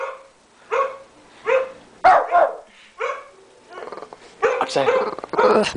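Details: Tommy, a male 13-pound Shih Tzu, gives short, high yappy barks in a loose series at the computer, acting as guard dog, with a person talking over the later barks.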